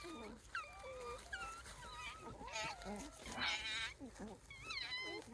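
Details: Wild Japanese raccoon dog pups, from a family of about eight with their mother, in Kushiro Marsh near an observatory walkway in Hokkaido, Japan. They give high, wavering, whining cries, short and often repeated, over quiet human talk.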